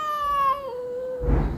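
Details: One long plaintive meow that slowly slides downward, from a cat come to eat at Ruby and Kulkuli's house, ending in a burst of low rustling noise.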